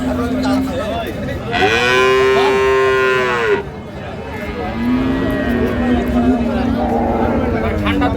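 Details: At Ambari haat cattle market on 2/3/25, among improved-breed dairy cows and calves, one loud, steady, bellowing moo lasts about two seconds, with quieter lowing and crowd murmur before and after.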